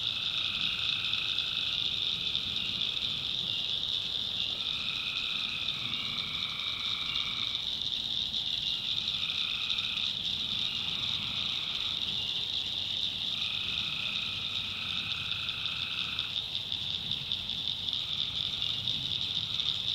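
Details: Night chorus of tree frogs from North Carolina backwoods swampland. Several frogs trade honking, second-long calls that overlap, set against an unbroken high buzzing drone filling the background.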